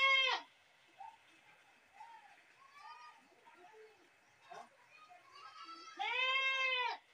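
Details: Goat screaming: a loud, harmonic, wavering bleat opens, followed by several softer, shorter calls from other animals, then a second long, loud, quavering scream near the end.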